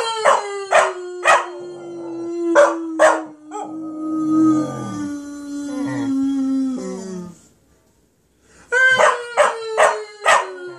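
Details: Border Collie puppy howling with a bit of encouragement, rough and rasping: several short barks, then a long sliding howl falling slowly in pitch for about four seconds, a pause, then more barks and another falling howl.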